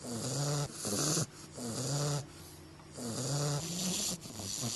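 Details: English Bulldog puppy asleep during the Christmas season, snoring in a rhythmic series of rough, nasal rumbles with a low tonal hum, each breath lasting about a second with short pauses between.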